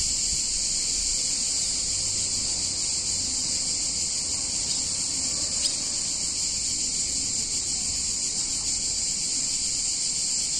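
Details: Cicadas in a warm Italian town in summer: a uniform, shimmering high drone fills the whole stretch, joined by one brief sharp click midway and very little else.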